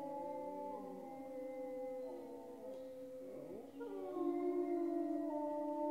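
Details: Several grey wolves howl together in long, level, overlapping tones, with some voices sliding down and others starting anew partway through; the chorus grows louder toward the end.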